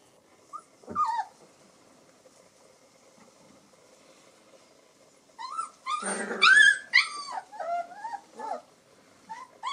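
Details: Alaskan Malamute puppies, day 24 of a 2024 litter at a breeding kennel, on their first explorations; high thin whimpers and yelps with rising and falling squeals, a short burst near one second then a busy cluster of overlapping cries later.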